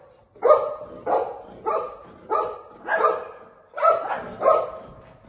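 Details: Buzo, a family pet golden retriever, going after a family member at home: eight loud, hoarse barks in a steady run, roughly one every half to two-thirds of a second, with a few quiet sounds in between.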